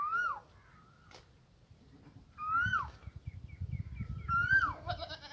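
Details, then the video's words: Goat outdoors giving three clear, arched, wavering bleats roughly two seconds apart. Each rises and then drops. Low rumbling background noise builds toward the end, with a brief hiss after the last call. "Goat sounds"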